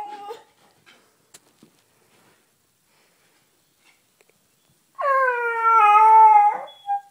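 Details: Pet Beagle named Sniffer, eager to get on the bed indoors: after a brief whimper and several quiet seconds, one steady howl of about a second and a half, slightly falling, then a short final yip.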